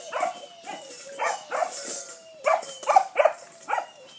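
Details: A foster pup named Jet in Bulverde yaps at a rock beneath his bowl, giving about seven sharp, high-pitched barks in four seconds over a faint continuous tone.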